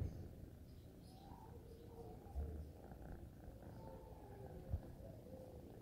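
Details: Kittens purring as they are petted: a soft, low, continuous rumbling drone held steady throughout, with a couple of brief low thumps partway through.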